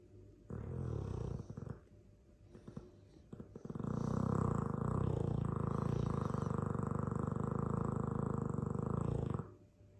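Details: Dogue de Bordeaux asleep and snoring loudly: a short rumbling breath, a pause with faint shuffles, then a sustained five-second rattling snore, deep and throaty with steady vibration.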